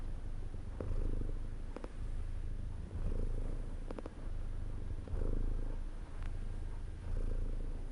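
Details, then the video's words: Relaxed domestic cat purring, a low vibrating hum rising and falling in breath-length waves about every two seconds, with a few small clicks. "CAT PURR 1 so COMFORTING"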